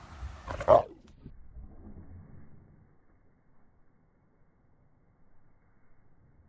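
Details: Boxer dog at play, giving one sharp, loud bark early on, followed by a few seconds of low, soft rumbling and then near quiet.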